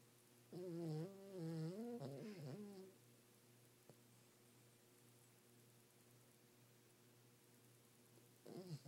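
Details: Nighttime snoring from Everett, a pet dog asleep in bed: a low nasal drone of about two and a half seconds that bends up and down in pitch, followed by a long quiet stretch and another breath starting at the end.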